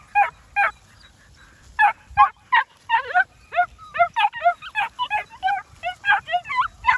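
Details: New Zealand Huntaway puppies giving a rapid chorus of short, high, rising-falling yelps and squeals, several animals overlapping, around two or three calls per second and growing busier toward the end.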